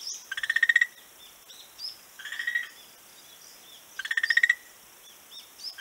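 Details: Beach frog, 11 March 2017, producing two loud rattling calls of rapid, evenly spaced pulses that build in loudness, about half a second each and roughly three seconds apart, with softer answering bursts between.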